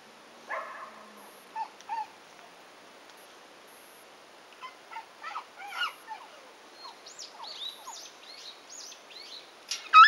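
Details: Shiba Inu puppy, 111 days old, on its first walk in a harness, yelping after getting caught on a fence: short sharp yelps in small bursts near the start and middle, then high chirping of small birds in the closing seconds.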